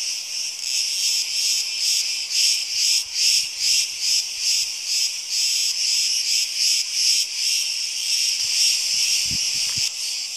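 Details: Cicadas in Crete on a hot summer day, a dense high-pitched rasping chorus pulsing in rapid regular throbs about twice a second, steady throughout, with a few faint low knocks.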